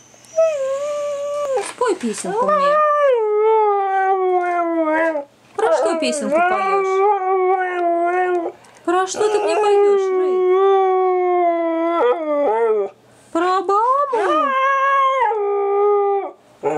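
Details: Thirteen-month-old Siberian Husky singing in November while its owner encourages it; long wavering howl-like notes with rich harmonics, sliding up and down, in phrases of two to three seconds separated by short breaks, with the owner's voice.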